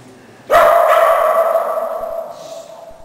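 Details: Shetland Sheepdog named Wallace during agility training on a low A-frame with a box, giving one sharp bark that trails into a long, steady whine-like tone lasting over two seconds, indoors.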